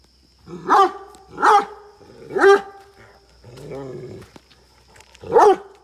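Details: Aggressive barking by Rana, a farm Great Dane in Chikkamagaluru, Karnataka, India, with a Mudhol Hound nearby: three forceful barks in quick succession, a lower rough growling bark, then one more sharp bark.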